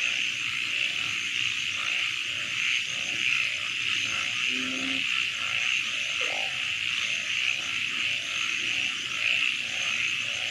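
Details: Frogs calling at night in a wetland: short mid-pitched croaks repeat about twice a second, with one lower drawn-out tonal call midway, over a steady high shimmering chorus filling the night.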